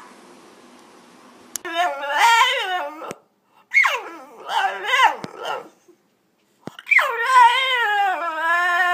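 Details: Talking French Bulldog: three drawn-out, moaning, howl-like phrases with a wobbling, bending pitch, each about a second or more long, separated by short silences in a small room.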